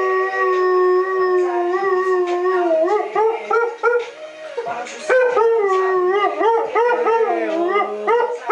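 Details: A 3-year-old male Siberian Husky sings along to music at 1 am, howling in long, wavering tones that rise and fall, breaking into yodel-like bends.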